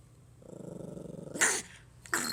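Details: A playful Pomeranian puppy tries to frighten its owner with a pulsing, rattling growl that swells in strength. It breaks into two sharp, loud barks close together near the end.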